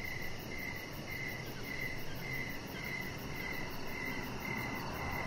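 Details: Crickets sing in the evening around a deck shared with a chihuahua puppy called Rocket; clear shrill chirps repeat evenly about twice each second against a quiet low background.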